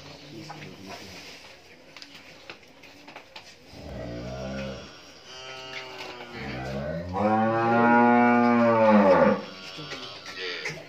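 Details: Friesian dairy cow on a farm in Pabna, Bangladesh, having calved twice with a heifer calf, gives a short low moo near four seconds, then a long, loud, rich moo rising and falling over three seconds; faint indoor background.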